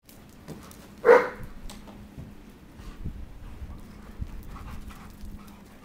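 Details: One of two German Shepherds playing fetch gives a single sharp, loud bark about a second in, then only quiet background rustling and faint thuds follow.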